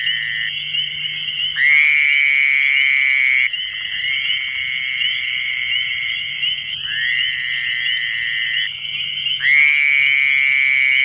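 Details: Fowler's toad (Anaxyrus fowleri) calling in the New Jersey Pinelands: long, nasal, buzzy bleats, each droning for several seconds before the next begins.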